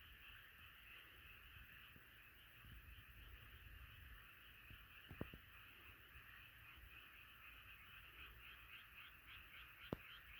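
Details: Frogs croaking en masse in a continuous rippling chorus, broken by a few sharp knocks near the middle and one loud click toward the end.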